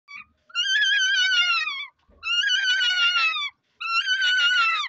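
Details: A male rabbit mating successfully for the first time gives three long, wavering, whining squeals, each lasting over a second.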